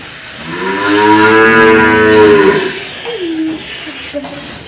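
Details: Old cow in Indonesia being fitted with a nose rope, a tough animal to handle: one long loud harmonic moo lasting about two and a half seconds, steady then falling away, followed by a shorter low grunt-like call.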